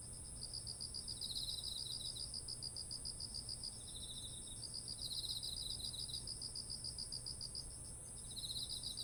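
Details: Insects of autumn singing next to ripened rice paddies in Japan, ZOOM H1essential recording: rapid pulsed chirping in trains lasting a few seconds, two or more voices alternating, over a constant thin high whine and faint low hum.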